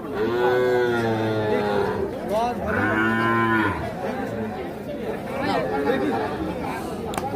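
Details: Calves on sale at Ambari livestock market, Bangladesh, 27/3/25: two drawn-out, deep moos about two seconds apart, each a rich harmonic bellow. Market chatter and people talking follow.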